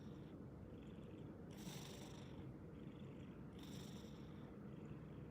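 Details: A sleeping orange cat snores very loudly. A continuous deep rumble carries two strong breathy rasping breaths, about two seconds apart.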